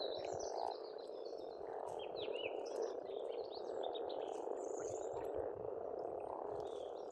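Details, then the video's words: Spring frog chorus at an Estonian pond: countless overlapping croaks form an unbroken rattling drone, with chirping and whistling birdsong scattered throughout. "Расслабляющее пение птиц и лягушек, весна, природа."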